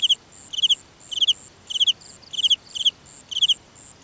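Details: Cricket in a grass field at night, Vietnam, close and loud: chirps made of two to three rapid pulses, repeated about every half second, over a soft high insect whine.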